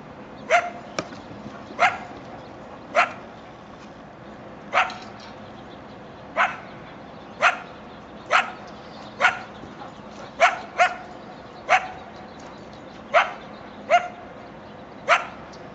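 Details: Coyotes from a family living behind a backyard fence along railroad tracks in Chatsworth, California, around 7am on 13 October 2024: sharp, high yipping barks repeated roughly every second, some with short rising whine tails, over steady background hum.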